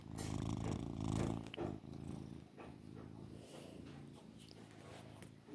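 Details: Loud male Maine Coon cat, described as lazy and long-haired, purring strongly: a deep, heavy rumble for the first second and a half, then a softer, steady vibrating purr with small rustles.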